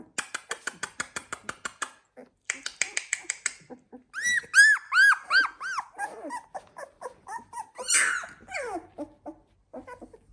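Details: Labrador Retriever puppies, 16 days old, from the Z2 litter: a fast run of short ticking pulses, then a series of clear arched whines and softer overlapping whimpers from the pups.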